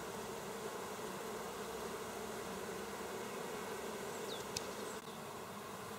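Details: Bees busy at work, recorded on 27 August 2024: a dense, steady hum of many bees with layered tones throughout, plus a faint brief squeak near the end.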